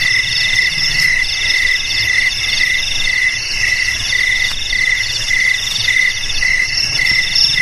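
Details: Shrill insect chorus of crickets offered as a rat repellent for home, garage, warehouse and rice field: rapid pulsed chirps stacked in two high bands, pulsing a little under twice a second, with a low rumbling hiss underneath.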